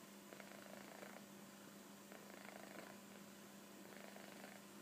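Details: Sleeping kitten Koro, stretched out comfortably on a sofa, gives gentle breathy snores. The rasps recur rhythmically, about three in five seconds, against a faint steady hum.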